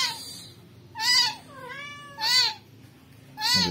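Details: Shrill repeated meows from a rescued newborn kitten, three loud arched cries about every 1.2 seconds with a softer, lower, falling mew between the first two.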